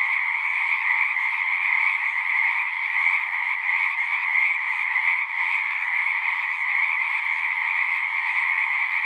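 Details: Singing frogs fill the night air with a constant, pulsing chorus: high-pitched trills layered over a lower band, with slight swells and dips in loudness but no breaks.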